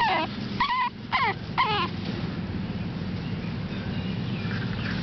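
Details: AKC Boston Terrier puppy, seven weeks old, from the Bosarts Sparkle and Champion General Lee litter: four quick, high, bending whimpers packed into the first two seconds, followed by quiet room noise.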